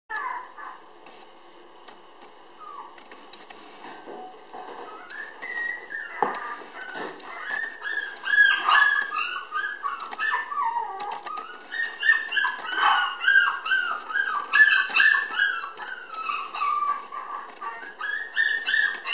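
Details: Red female Toy Poodle puppy born 20 May, filmed indoors on 30 June weighing 700 g; soft whines at first, then a busy run of high, wavering whimpers and squeaky yelps that bend up and down, growing louder toward the end.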